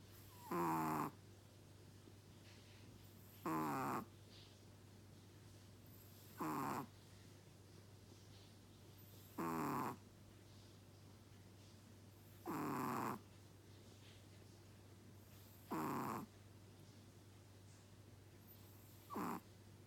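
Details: A sleeping Chihuahua snores in a regular rhythm, with seven rough, buzzy breaths roughly every three seconds over a constant low background hum.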